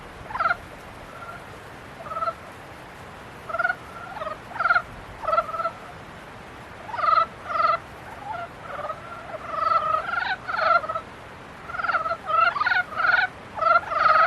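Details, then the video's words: Frog chorus during the breeding season, with buzzy, pulsed notes in bouts that start sparse and grow denser, several callers overlapping toward the end, set against a quiet hiss. "개구리 짝짓기"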